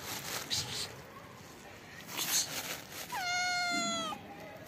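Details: Hungry black kitten hiding under trees, waiting to be fed, gives one clear drawn-out meow that starts high and slides downward, after soft hissing and a human 'psst' with rustling in the background.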